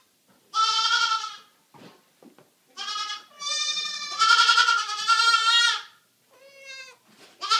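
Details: Two just-rescued baby goats, a black LaMancha named Flower and a sable Nubian named Mabel, indoors while being babysat: loud, harmonic bleats, one long wavering cry of several seconds, a break, then a fresh bleat starting.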